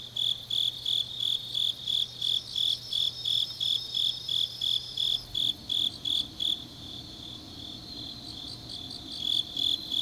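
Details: Grass insects singing on a deep autumn night in Changnyeong, South Gyeongsang, South Korea: regular high chirps about three per second, with a second, higher insect trilling through the first half and another joining near the end, over a faint low hum.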